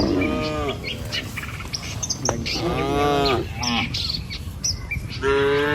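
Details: Tame village cattle driven in a herd across a river bridge in the morning, heard in a few shorter moos, one at the start, one mid-clip and one at the end, with chirping birds throughout.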